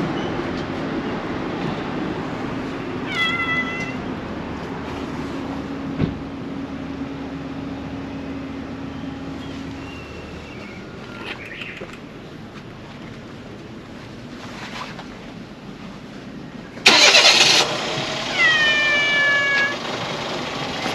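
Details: A brown tabby stray cat in a convenience store parking lot in Japan gives a few short, harmonic meows over a steady background of traffic hum.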